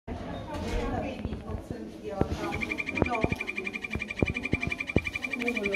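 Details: A golden poison frog (Phyllobates terribilis) gives a steady, rapid trill of high chirping pulses, with people talking nearby.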